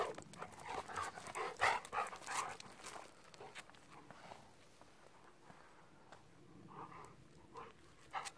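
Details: Pet Golden Retriever panting in a car on the drive home; rapid breathy puffs for about three seconds, then quieter, softer breathing with a few faint bursts near the end.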